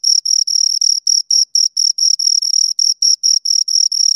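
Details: Crickets, two of them, producing bright high-pitched chirps in uneven bursts, some pulses longer and merging, with a silent backdrop.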